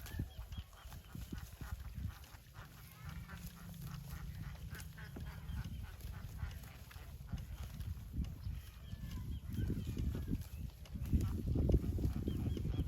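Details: Cattle: calves and mother cows calling one another. A single long, low, steady moo holds for several seconds early on over constant rumbling and clattering farmyard noise, which grows louder and more broadband toward the end.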